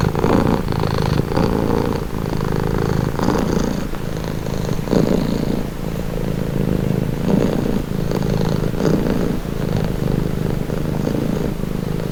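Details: Relaxed domestic cat giving an unbroken rumbling purr, gently pulsing with its breathing, a few soft rustles on top.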